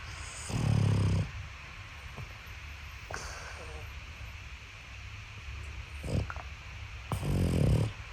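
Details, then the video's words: Sleeping Boston Terrier puppy snoring away from its cot. Deep, buzzy inhalations come near the start and the end, spaced about six seconds apart, with faint clicks and soft rustles in between. "look where he sleeps and snores the Boston Terrier puppy"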